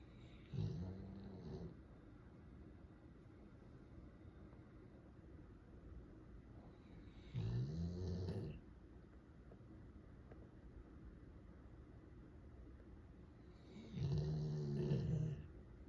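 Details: Golden Retriever named Ran, asleep indoors and the loudest snorer of three dogs in the household, snoring with a cute face: three deep, rasping low snores, each about a second long, spaced roughly six to seven seconds apart, with quiet breathing between.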